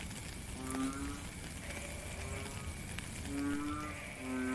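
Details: Calling frog heard during rain in a natural setting, recorded in real time: brief low humming notes, some paired, recurring every second or so, beneath a continuous wash of falling rain.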